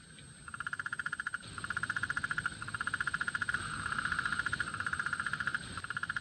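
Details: Sudell's frog; mating call; attracting a mate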